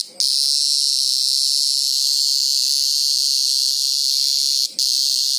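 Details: Green grocer cicada (Cyclochila australasiae), scream.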